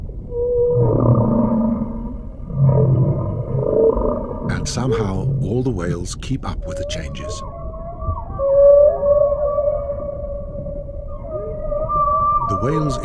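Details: Humpback whale moaning in long, steady tonal notes that hold or waver slightly, a lower drawn-out call, then sustained high moans, with a male narrator speaking briefly midway over faint underwater rumble.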